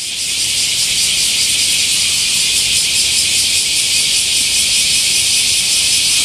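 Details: Summer chorus of bear cicadas at the great camphor tree in Daitokuji Park, Nagasaki, Japan, in the morning: an unbroken, shimmering high hiss with faint rapid pulsing, steady and loud throughout.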